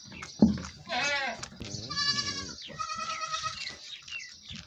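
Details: Goat during milking, letting out a sharp knock, then several wavering bleats that rise and fall in pitch, mixed with what may be a human voice and low handling sounds.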